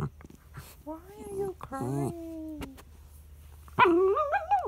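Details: Frustrated dog Charlie cries because his son lies over the treat. Thin, wavering whines slide downward, then a louder, rising, warbling complaint ends the run. A steady low hum sits underneath.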